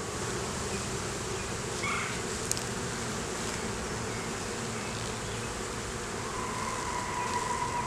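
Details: Even, low buzzing of a honey bee colony as its hive is opened and checked, the parent hive of an earlier split, found queenright with capped brood and larvae; a thin, higher tone briefly rises over the hum late on.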